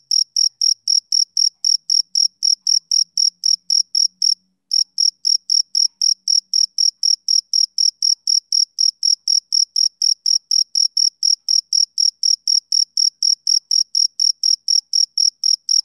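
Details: Male cricket chirping steadily, short high pulses repeated about four times a second with one brief pause near the middle; no other sounds.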